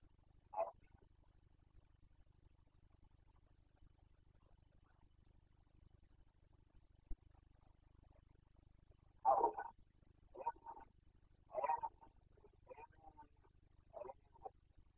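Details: Boncănit of a Carpathian stag in the 2021 breeding season: one brief gruff call, a long pause, then a burst of several harsh roars and grunts in quick succession over faint low background noise.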